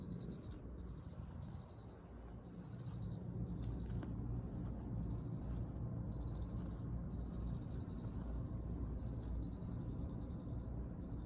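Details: Cricket chirping in high, rapid pulsed bursts of varying length, short ones early then longer trills, steady low rumble behind.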